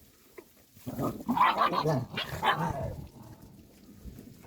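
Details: Three stray puppies fighting, giving rough snarling growls and yelps in bursts for about two seconds, then quieter scuffling with faint background noise.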